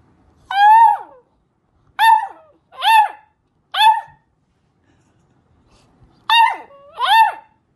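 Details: Puppy trying its voice for the first time with six short, rising-then-falling howling yelps, each under a second and spaced a second or two apart, in an otherwise quiet room.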